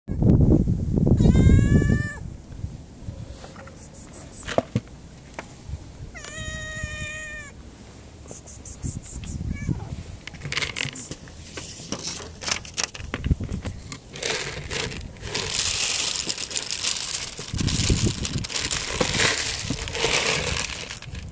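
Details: Tabby street cat asking for food, giving two clear drawn-out harmonic meows near the start and around six seconds, followed by rustling, handling noises and low background rumble.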